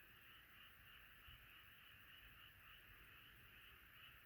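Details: Chorus of many frogs croaking together, a steady dense trill-like din in the upper range with no single caller standing out, continuous from start to end.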